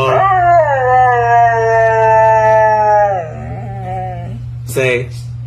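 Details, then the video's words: Husky 'talking' to a man, producing a sustained, speech-like howl that starts high, settles into a smooth drawn-out tone and slides down, then breaks into a brief yelp near the end, over a constant low hum. "Secret Evidence that Husky Do Speak"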